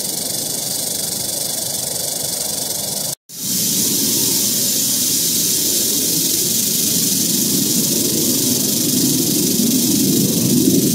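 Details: Steady, sizzling rattle from an eastern diamondback rattlesnake found in Central Florida, cut by a brief silent gap early on, then resuming as an unbroken dry buzz over growing low rumbling noise.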